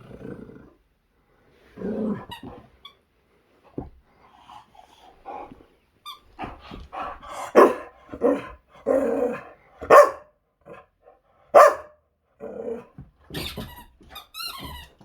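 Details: Energetic Boxer dog Zeta playing hard with a squeaky toy in 2021, giving short gruff barks and growly grunts in irregular bursts roughly every second or two, punctuated by a few high squeaks from the toy.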